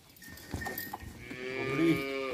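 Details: Jersey and Friesian cross cow offered for sale at Jhawariyan, Sargodha, Punjab, Pakistan, on 29 January 2020; a few knocks and clatters open, then a rich, steady, harmonic moo swells and holds through the final second.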